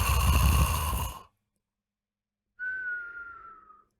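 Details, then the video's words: Pet dog snoring loudly while asleep at home, as it does every night: a harsh, buzzy, rattling snort lasting about a second, a silent pause, then a thin high whistle sliding gently downward. "Cachorro roncando faz a casa tremer"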